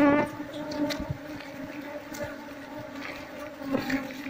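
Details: Asian honey bees (Apis cerana) at a nest in a traditional house in Seluma, being moved into a hive box: steady droning hum with harmonic bands, occasional clicks and handling knocks.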